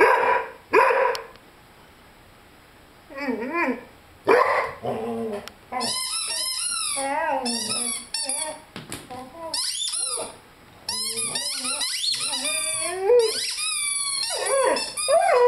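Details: A 5-month-old Rhodesian Ridgeback named Lyle plays with his beloved squeaky chicken toy; a couple of barks open, then bouts of warbling, up-and-down howls alternate with piercing repeated squeaks, broken by short silent gaps.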